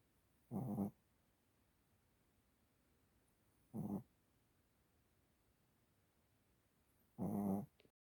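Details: A Chihuahua snores in a quiet room, giving three low, rasping breaths spaced roughly three seconds apart; the first and last are longer, the middle one short.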